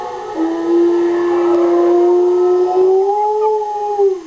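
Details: Pet dog howling along with a recording of wolves howling: one long, steady, drawn-out tone with strong overtones, lifting slightly in pitch near the end before fading.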